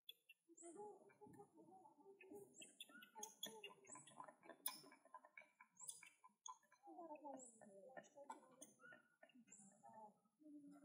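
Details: Baby monkey Leo crying, sad and seeming to feel that his mother Libby does not love him; thin, high squeaks come in quick bursts, then wavering whines slide downward near the seventh second.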